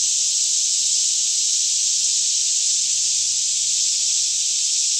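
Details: Cicadas chorusing all around in a lush Kentucky woodland near Franklin during the morning, about 10am, still air, Canon 5D Mk2 stereo sound; one unbroken shrill buzzing drone dominates, unchanging in pitch, faint low hum below.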